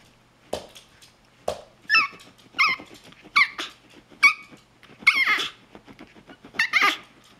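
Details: Pomeranian demanding pineapple and 'singing': a string of high squeaky whining yips and yelps, about one every half second to second, between soft panting sounds.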